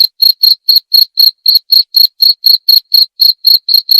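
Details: Bright, ringing cricket chirps follow one another rapidly and regularly, about four each second, each a short high pulse, with nothing else audible.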